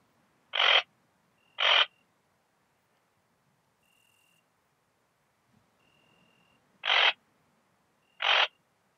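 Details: Rhacocleis annulata bush-cricket recorded at Biedermannsdorf, Austria, on 8 August 2022, with an ultrasound detector: short harsh buzzy chirps in two pairs, about a second apart within each pair, with a long pause between pairs and a faint steady tone.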